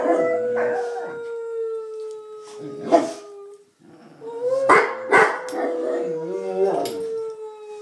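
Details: Two bullmastiffs howl along to noises someone is making. Drawn-out, gently descending howls repeat several times, broken by sharp clattering bursts and a brief quiet gap midway.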